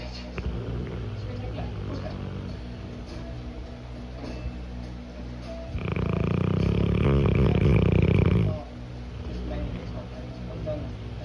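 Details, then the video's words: Napping Cane Corso gives one drawn-out, heavy snore lasting nearly three seconds, rough and rattling with a buzzy flutter, set against quieter stretches where low voices murmur. "Cane corso snoring while napping."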